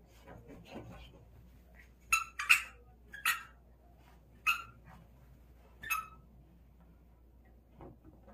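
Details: Dog at play with a ball lets out bright, sharp barks in quick bursts, a few close together then spaced out, over a quiet room background.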